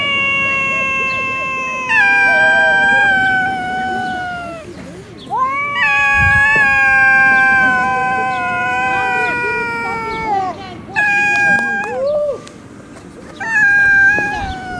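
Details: Fighting stray cats on a city street in Russia trade prolonged, harmonic-rich yowls, several long wails of two to four seconds separated by short gaps, some ending in rising or falling slides, with faint traffic rumble.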